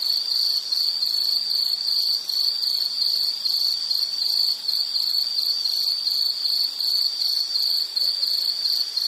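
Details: Insect sound used for relaxation and sleep: continuous high shrill pulsed chirping at an even quick rhythm, a dense ringing band with faint overtones, nothing else audible.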